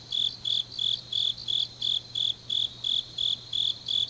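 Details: High ringing insect chirps from autumn grass at night in Changnyeong, Gyeongnam, pulsing regularly roughly three times a second, with a soft constant low hum behind.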